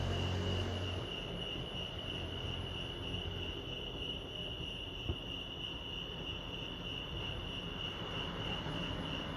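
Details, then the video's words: Lake Arrowhead crickets in California chirp in a continuous high pulsing trill, while a low hum is heard briefly at the start along with soft rumbling background noise. "Serenity sounds crickets chirping lake arrowhead"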